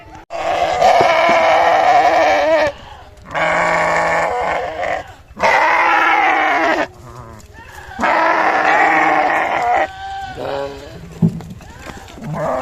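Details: Sheep bleating four times in a row, each a long, strong, quavering cry of one to two seconds separated by short pauses, with faint softer sounds between.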